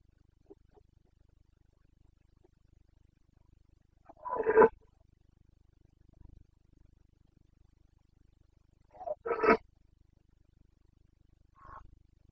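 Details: Carpathian stag roaring in the forests of Bucovina in breeding season, September 2022, with two loud, coarse bellows about five seconds apart and a brief fainter call afterwards, in a quiet setting.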